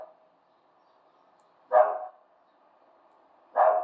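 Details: Dog barking in the background of an indoor talk, two short sharp barks about two seconds apart over a steady low hum.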